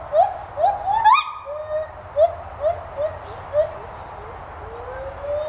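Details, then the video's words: White-handed gibbons calling at a teaching zoo in Gainesville, Florida: a quick run of rising hoots that climb to a higher peak, followed by softer, spaced upward-sliding notes and a long, gently rising final call. "white handed gibbons vocalizing"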